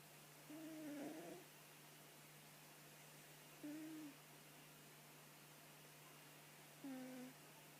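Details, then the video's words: Snoring from a sleeping cat, three whistly, slightly falling breath tones spaced roughly three seconds apart, each brief and even, over a steady low electrical hum. "Котик храпит"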